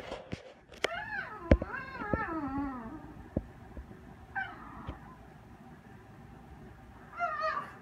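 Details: A French Bulldog indoors gives wavering, whining yelps and barks, bending up and down in pitch, trying to drive off window washers cleaning the apartment windows.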